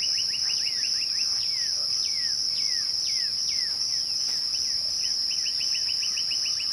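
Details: Crickets at twilight giving a steady, unbroken high-pitched trill throughout, while a bird adds quick runs of short piping notes and a series of downward-slurred whistles.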